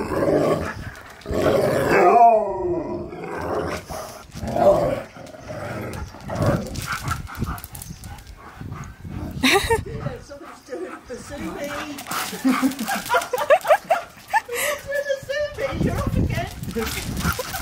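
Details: On his seventh birthday, Husky Key meets his friend Sherpa again after three months and cannot contain his happiness. Bursts of wavering howl-like whines and growly barks repeat between scuffling, thumps and human voices.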